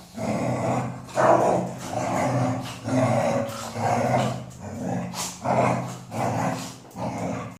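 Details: A female Golden Retriever makes low, throaty, moaning vocal sounds in rhythmic bursts about once a second.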